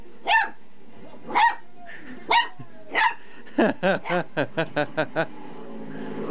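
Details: Pet dog Oliver, newly confident with his bark and excited by a vibrating toy, gives four spaced barks about a second apart, then a quick run of seven shorter, clipped yips in rapid succession.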